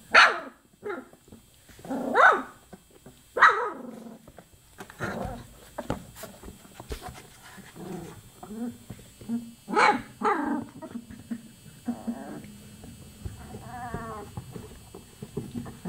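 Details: Chocolate Labrador Retriever puppies, 24 days old, yip sharply near the start and again around two, three and a half and ten seconds, with soft whimpers and grumbles between and a wavering, high whine late in the clip.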